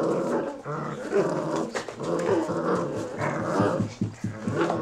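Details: Forty-day-old Belgian Malinois puppies of the B litter, Bomber and Barracuda, at kennel Ot Shato Bulgar, producing low rumbling growls broken by short rough yelps and bursts, several pulses over a few seconds in a small indoor room.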